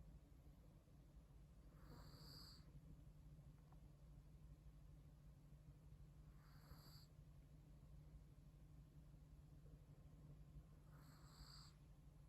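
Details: Chihuahua snoring in comfortable sleep, three evenly spaced breathy snores about four and a half seconds apart, each with a thin whistling overtone, with a low steady hum underneath.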